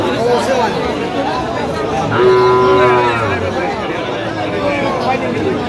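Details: At a Kurigram cattle market in Bangladesh on 9 November 2025, where Sahiwal bull calves are offered in lots of five, one calf gives a single drawn-out, even-pitched moo of about a second. Haggling voices and market babble carry on around it.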